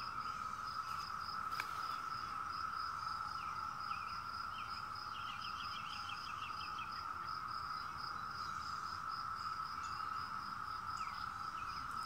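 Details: A chorus of 17-year cicadas trills as a steady, unbroken droning hum. A higher, rapidly pulsing insect tone runs alongside it, and a brief bird trill sounds near the middle.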